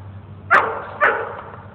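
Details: Dogs Mookie and Maeby playing at Bassett Park in Hamden, Connecticut; two short sharp barks about half a second apart over a steady low hum, with a voice calling out nearby.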